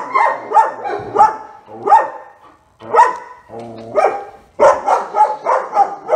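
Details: Barking from Otto, a German Shepherd working with a trainer: irregular loud barks, some clustered into rapid bursts, with a brief lull midway and a low background murmur.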